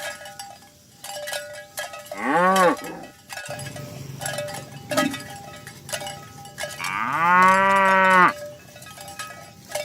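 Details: Dozens of cows walking across green pasture on a morning drive to the pen: two drawn-out moos, a short one early and a longer, louder one later, amid steady cowbell clanking and a softer low lowing between.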